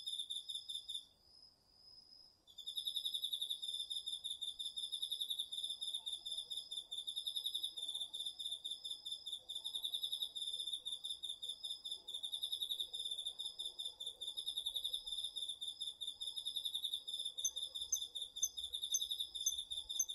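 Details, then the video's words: Crickets with other autumn insects calling through the night in a garden vegetable plot, recorded on a DR-40X: a short quiet moment, then continuous shrill pulsed trilling layered with a steady high tone, sustained throughout. "秋の虫の声 ASMRでおやすみなさい 〜虫の音を枕元で聞いてね〜 こおろぎ他"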